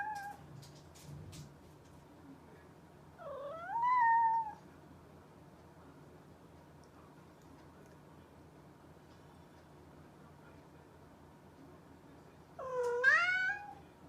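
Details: Two separate meows from a mischievous cat, roughly nine seconds apart. Each swoops down and then up into a wavering drawn-out cry, with a faint low hum filling the silence between.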